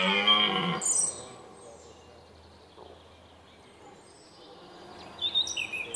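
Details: Red deer during the 2017 rut at sunrise in the Weerterbos: one short, coarse, deep roar at the start, then quiet woodland with scattered high songbird chirps.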